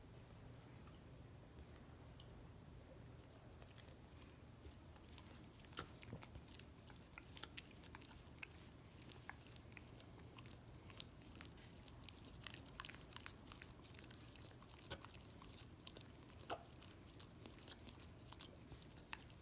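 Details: Miniature Australian Shepherd dog licking peanut butter off a foot indoors, wet smacking clicks coming in quick irregular bursts over a steady low hum in a small room.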